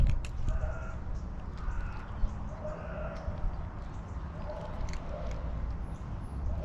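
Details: Fluffy female tabby cat arriving late and meowing excitedly, asking for affection and food with a trilling voice; short, harmonic, mid-pitched meows repeat about every second over steady low rumbling background noise.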